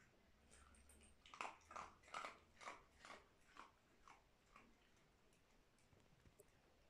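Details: Indoor dog munching dry food: a steady run of about eight crunchy bites, roughly two or three per second, fading into quiet, sporadic chewing noises.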